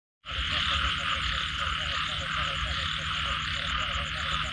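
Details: Frogs calling after rain in a dense chorus: low, knocking pulses repeated in quick rows, over a steady bright hiss of many distant callers and a fast ticking trill high above.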